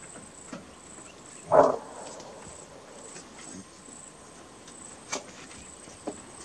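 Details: A single short, rough alarm bark from a greater kudu in Kruger National Park, followed by quiet with a couple of faint clicks and a constant high-pitched hiss.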